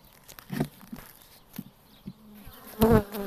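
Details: Honey bees ripening honey on a top bar hive comb; short bursts of low, droning buzz with stacked harmonics come and go, a louder close pass swelling near the end, with faint crackles between.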